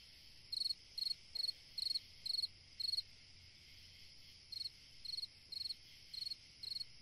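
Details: High, pulsed chirps from a single cricket on a summer night, a run of six followed by a short gap and five more, repeated roughly twice a second over a soft background hum of insects.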